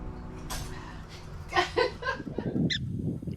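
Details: Prairie dogs in Roberts Prairie Dog City in the Badlands of South Dakota give short, sharp chirping calls in quick succession over a low rumble of wind.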